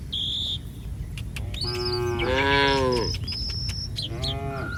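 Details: Village cattle roaming the street give a rising then falling moo that swells into a louder bellow, followed by a shorter one, with thin whistled bird calls around them.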